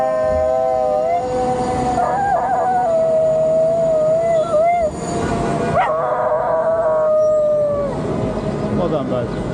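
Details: Pet dog howling while riding on a bike: long sustained wavering tones with wobbly pitch, broken by brief gaps and a sharp break near the middle, over steady engine-like road noise throughout.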